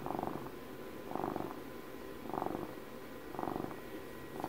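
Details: Close-miked purring of a domestic cat celebrating its 12th birthday: a grainy, vibrating rumble rising and falling in waves roughly every second, steady and calm.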